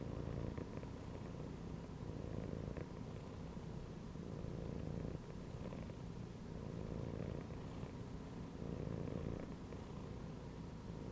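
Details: Domestic cat resting while lying inside a gym belt, purring steadily: a low, dense rumble that swells and eases in slow breathing cycles of roughly two seconds, with no other clear sounds.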